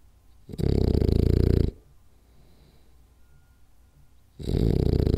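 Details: Rolly, a French Bulldog, snoring loudly during a power nap indoors: deep rumbling snores about a second long, separated by quiet breathing pauses of roughly three seconds.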